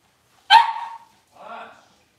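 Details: Six-week-old Cavalier King Charles Spaniel puppy in a puppy pen, handled while the litter is dewormed and has toenails trimmed: one sharp, loud yelp falling into a whine, then a shorter, softer whimpering cry a second later. The room is otherwise quiet.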